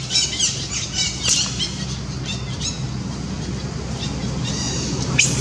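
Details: Monkey named Janet screaming because she is hungry and wants food: shrill, harmonic squeals in quick bursts early on, then quieter, with a low steady hum beneath and a last sharp cry at the end.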